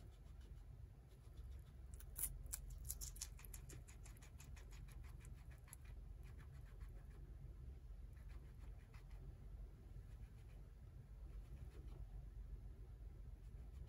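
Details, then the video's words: Tot, a pet guinea pig, eats romaine lettuce, giving rapid crisp crunching bites in bursts, densest early and then continuing in softer, sparser nibbles over a low steady hum. "Guinea Pig Eating Lettuce"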